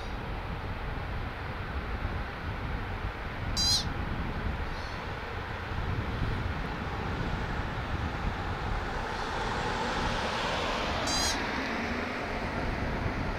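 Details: An American pika (Ochotona princeps), perched on a rock edge, calls out with two brief, high, squeaky "eep" calls several seconds apart over steady wind rush and faint road noise.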